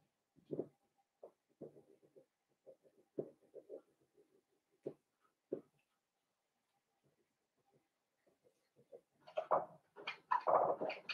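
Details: Blenheim Cavalier King Charles Spaniel puppies from a litter of five born at New Year, in an indoor puppy pen. Scattered short soft grunts and squeaks, then a denser burst of louder whimpering near the end, in a quiet room.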